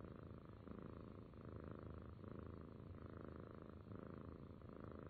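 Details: Cat purring steadily and close, a low continuous rumble that swells and eases in regular breathing cycles of under a second, with no other sounds.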